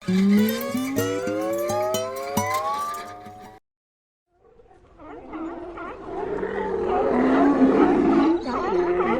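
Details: Sea lion. A drawn-out, rising, tonal call from a sea lion opens, ringing with harmonics. After a short pause, many sea lions bark and groan together in a rough, overlapping chorus.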